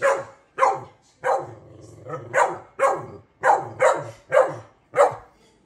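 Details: Steady run of about nine harsh barks roughly every half second from vocal dogs, each sharp onset fading quickly, with a low murmur faintly underneath.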